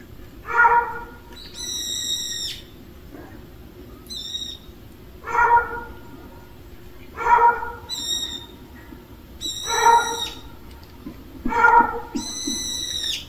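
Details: Street cats gathered together at mealtime. Deep, drawn-out meows alternate with bright, high, tonal mewing cries, the two voices trading calls back and forth every couple of seconds.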